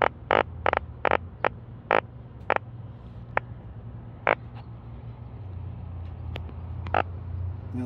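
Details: A live, freshly caught yellow drum flaps on a fishing boat off Korea and gives short, harsh croaking bursts in an irregular series. It makes the sound with belly force through its swim bladder, over a low engine hum.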